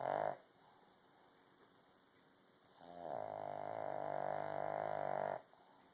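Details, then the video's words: Buster, a sleeping pug, snores louder than many humans: a short snort, then a long buzzy, droning inhaled snore of about two and a half seconds, rich in harmonics, against a steady electrical whine indoors. "Pug snoring"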